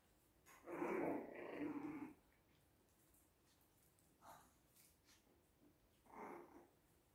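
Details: Biewer Yorkshire Terrier puppies Miko, Molly and James, 7.5 weeks old: a rough, hoarse growling yap lasting over a second, then two shorter, softer grunting sounds, against a quiet indoor background.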